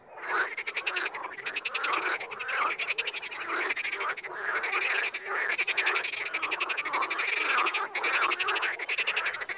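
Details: Many frogs in the wild croak together in a thick, rolling chorus of rapid pulses that rises and falls gently without stopping.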